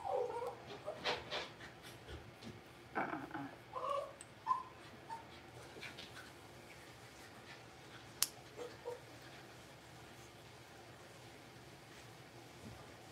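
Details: Six-week-old blenheim Cavalier King Charles Spaniel puppies, a litter of five in an indoor puppy pen: a few short, high whimpers and yips in the first five seconds, one sharp click near eight seconds, then quiet room hush.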